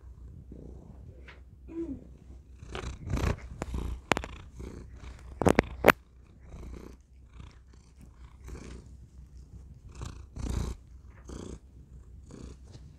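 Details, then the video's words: Pet cat Thor purring close to a tiny microphone indoors; a soft, low purr in repeated breathy pulses, broken by crackling touches and rustling on the microphone. "Thor purring into tiny microphone"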